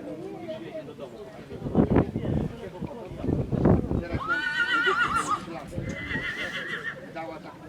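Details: Aster, a Polish Coldblood stallion born in 2019, gives a high, harmonic whinny of about three seconds, first rising then wavering and trailing off, while people talk nearby and low clattering sounds come earlier.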